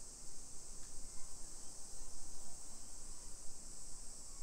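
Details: Summer cicadas on a hillside residential street in Nisshin city, suburban Nagoya, Aichi Prefecture, Japan, at 1 PM on 28 July 2021: a steady, unbroken high shrill hiss runs throughout over a low background rumble.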